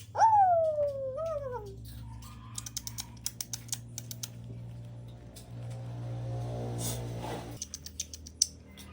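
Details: A kitten, fed and eating, gives one clear descending meow and a shorter second one, followed by a run of soft, irregular clicking and chewing noises over a low steady hum.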